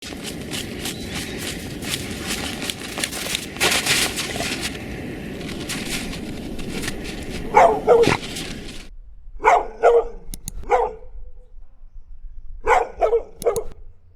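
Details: Dog barking in short clusters of two or three sharp barks during the second half, after a stretch of loud broadband rushing noise with no clear animal voice.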